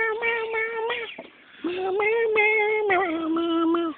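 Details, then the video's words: Mario, a cat fond of sticks and singing, gives a sustained tonal yowl held for about a second, then after a short pause a longer drawn-out note lasting over two seconds that dips slightly in pitch, with faint clicks. "Mario the singing cat!"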